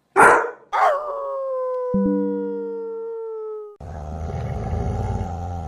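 Two abrupt, harsh barks from a German Shepherd open the recording, followed by a drawn-out, even tone sinking gradually over about three seconds. A brief low hum cuts in midway, and a rough, noisy rumble takes over at the end.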